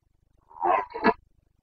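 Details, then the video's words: Short, two-part hoarse roar from a Carpathian red deer stag during the Bucovina rut, September 2022, rising into a louder second burst, with a quiet background. "Boncănit / Carpathian stag Breeding season 29.09.2022"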